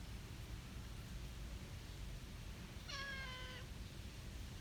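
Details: A small brown tabby park cat that came over to greet people gives a single clear meow, about two-thirds of a second long, harmonic and gently falling at the end, over a steady low background rumble.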